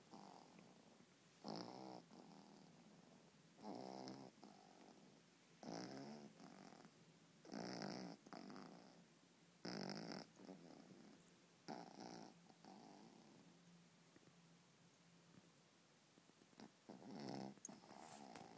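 A Boston Terrier snores with rasping, rattling breaths that come roughly every two seconds. Each snore is a gritty burst, some with a faint whistle, set against a quiet indoor room.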